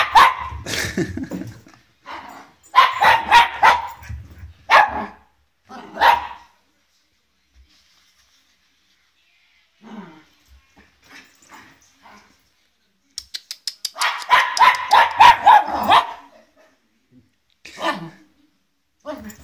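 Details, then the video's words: Nervous Welsh Terrier puppy named Olive barks at a guitar, her first meeting with one: runs of fast, high-pitched yaps early and again near the end, a quiet stretch with faint sounds between. "Olive the Welsh Terrier puppy meets her first guitar"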